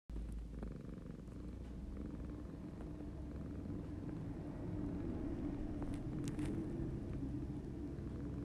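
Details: A male Siamese cat purrs in a low, steady rumble that pulses with each breath.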